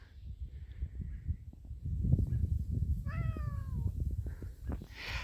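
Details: Domestic cat meowing in distress just outside a house: a single drawn-out meow that slides downward, heard over low rumbling handling and wind noise.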